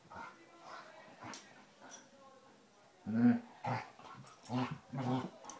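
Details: Basset Hounds Tracker and puppy Ranger playing rough: quiet scuffling at first, then from three seconds a run of low throaty growls and grunts in short bursts, each about half a second apart.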